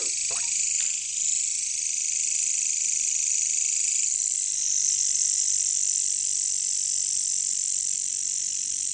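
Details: A wall of high, rasping insect sound from jungle katydids, known as caricangkas, pulses rapidly throughout, with a short lower chirp-like burst in the first second.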